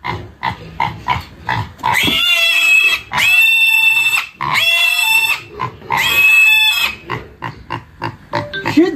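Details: Black pig, six months old, squealing on a rural farm while being weighed at about 19 jin; sharp repeated clicks and short squeaks lead into four long, harsh, shrill screams, people talking and laughing.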